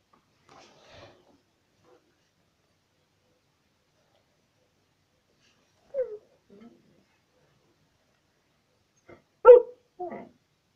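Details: A pet dog "talking" indoors: faint soft whines early on, a short falling yelp near six seconds, then a louder two-part bark-like call near the end, separated by long quiet pauses.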